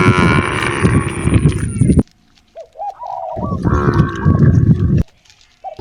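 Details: Roaming cows seeking fresh grass on natural roads give two loud, rough, broad moos separated by a pause. A few faint hooked bird whistles are heard in between.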